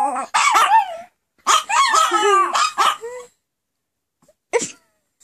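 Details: Several female Pomeranians in a howling frenzy, set off by their owner's howling: wavering, yelping howls in two long bursts, then a single short yip after a pause.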